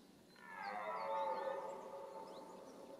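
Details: A single guttural roar from a red deer during the rut. It rises in strength, holds a rough harmonic tone, then sinks away, with faint bird notes in the background.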